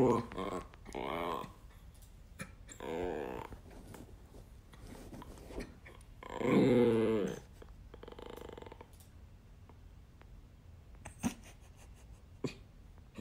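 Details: Siberian Husky vocalizing indoors in a small room, a harmonic, wavering howl-like call swelling near the middle, with shorter growly bursts before it and human speech around the calls.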